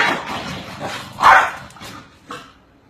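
Several Corgis trade quick, sharp barks, with one loud, full bark rising above the rest midway. Softer yips and barks scatter before and after it.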